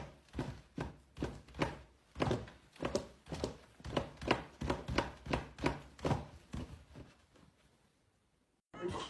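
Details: Sleeping pet dog indoors, busy in its sleep: soft, rough puffs of breath repeated about every half second, steady for around eight seconds, then a sudden break into louder noise at the very end.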